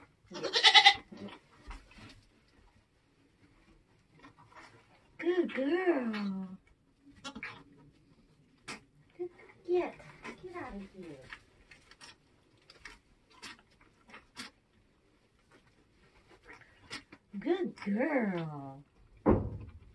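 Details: Nigerian Dwarf goat on a homestead during kidding season, while giving birth: a few wavering, harmonic bleats, the clearest two near the middle and the end, with quiet human voices and scattered clicks and knocks.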